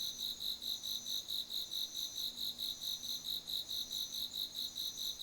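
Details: Autumn insects calling in a garden at night on 8 September 2025: a steady, high-pitched pulsed trill, about three evenly spaced pulses per second, over a faint low hum.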